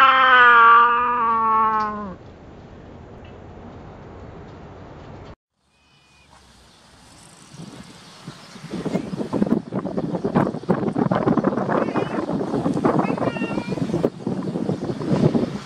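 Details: Domestic cat begging for food, recorded with a Nikon COOLPIX B700: one loud, long, drawn-out harmonic meow over the first two seconds, then a quiet stretch and a brief silence, followed by steady rustling and handling noise.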